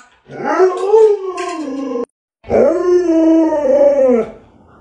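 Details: Two long, wavering, tonal howls from pet Alaskan Malamute Luoluo, each near two seconds, rising and falling in pitch, split by a brief silence, loud and close.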